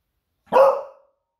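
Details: Alarm bark from Smudge, a female Beagle kept as a pet, anticipating her owner's return from the surf; a single abrupt, loud bark that decays within half a second against a silent background.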